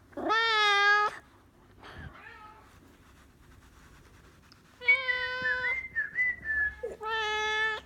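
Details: Sir Lancelot, a Maine Coon cat that dislikes whistling, gives long loud wailing meows, three strong cries separated by a quiet gap, with a short whistled phrase between the later two.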